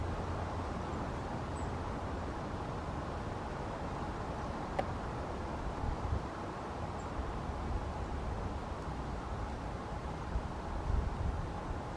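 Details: A steady low rumble, like distant traffic or wind, with a single sharp click and no clear animal calls.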